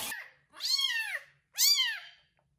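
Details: Kitten named Kubik meowing loudly after his first bath while a pregnant foster mother cat licks him; two drawn-out, arching meows about a second apart, indoors with quiet surroundings.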